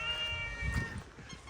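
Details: Hungry stray cat calls for food with a steady, even-pitched meow lasting about a second, while a man offers it food and footsteps and low outdoor rumble sound in the background.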